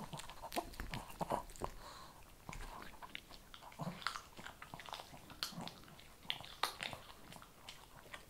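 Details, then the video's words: Shih Tzu puppy eating kibble indoors, close-up crunching and biting: irregular sharp clicks and crackles scattered over eight seconds, with soft wet mouth sounds between bites in a small quiet room. "ASMR SHIH TZU THE MOST CHEWING, RELAXING, PET, PUPPIES, KIBBLE"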